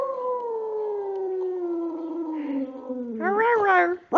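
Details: Pet dog Precious, a female, singing: a long, smooth, harmonic howl that slides slowly downward for about three seconds, then a brief wavering, rising-and-falling yelp near the end, in a quiet indoor setting.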